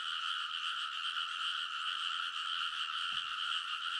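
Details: Many frogs calling together from a rice paddy levee at midnight in early summer, Kōnosu, Saitama Prefecture, Japan; a continuous throbbing chorus of overlapping croaks at constant loudness, one faint low knock near the end.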